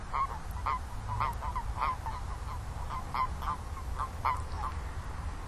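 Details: A toad chorus of quick, nasal, mid-pitched notes in loose clusters, several callers overlapping; a continuous low droning rumble runs underneath.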